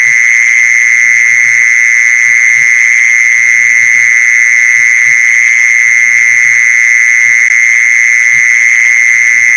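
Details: Mole cricket call for luring mole crickets, a steady high-pitched electric buzz that never pauses, with soft irregular low knocks in the background.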